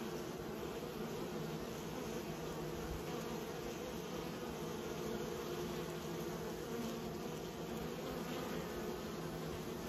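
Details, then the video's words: Continuous humming from kept bees, a warm, even drone with stacked low tones and slight rough texture, steady from start to finish. "Raising bees"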